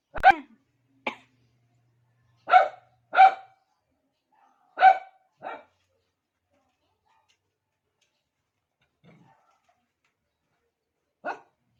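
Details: Pet Shih Tzu calling for another dog's attention with short, sharp barks in irregular bursts: pairs and singles over the first six seconds, a long pause with a faint grunt, then one final bark near the end.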